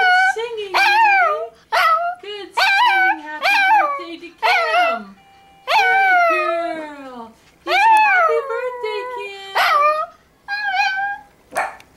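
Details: A female Toy Fox Terrier gives a run of high, quavering howls, each note sliding up then falling away, "singing" along as people sing Happy Birthday.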